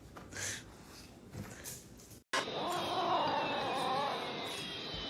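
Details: Domestic cat in a funny-cats compilation: after a brief cut to silence, a drawn-out, wavering yowl rises and falls for about a second and a half over steady background hiss, with a thin, slowly descending high tone running beneath.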